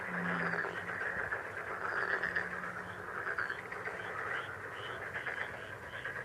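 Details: Many frogs croak at once in a thick, continuous chorus of fast pulsed calls. A low droning tone is heard in the first four seconds, then the chorus carries on alone.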